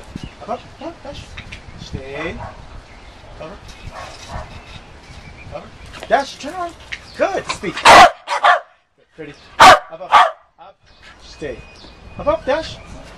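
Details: Trained dog among spoken training commands such as down, stay and up, with praise of good; a few loud, sharp barks burst out near the end between stretches of talking.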